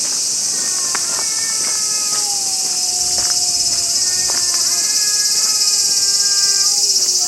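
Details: Angry stray cats fighting in a park in Japan: long, drawn-out wavering yowls that slide slowly downward and overlap, with a steady high insect drone throughout.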